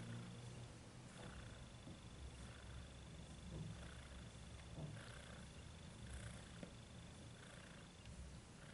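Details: Little domestic cat purring: a steady low rumble with soft rhythmic pulses, continuous and close, with a faint thin high tone running in the background.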